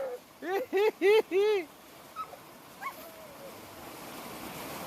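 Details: Boerboel dogs active by a river outdoors: four quick arched, tonal yelping barks in a row, then a few faint squeaks, with a person speaking afterwards.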